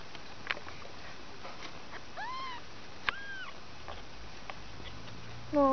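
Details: Two-week-old kittens, one of a litter of five, give two short, high, arched meows in quick succession midway through, over a quiet background with faint handling noises and a brief low sound at the end.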